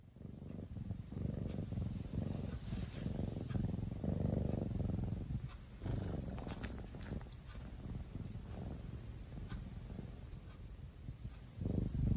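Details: A sleeping kitten, deeply asleep, purring: a continuous low rumbling purr throughout, steady and soft with slight swells, a few faint higher rustles in the middle.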